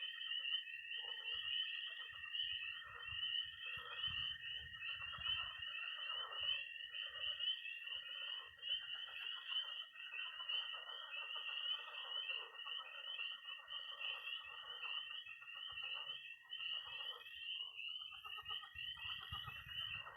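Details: Night chorus of frogs and toads at a pond in Missouri in early spring: dense high peeping above a steady shrill trill, with lower rattling croaks pulsing underneath throughout and faint low thumps now and then.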